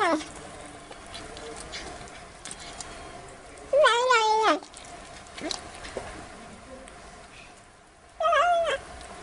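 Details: Playful black kitten giving two clear, loud meows about four seconds apart, each rising then falling with a slightly wavering tone, over steady low background noise.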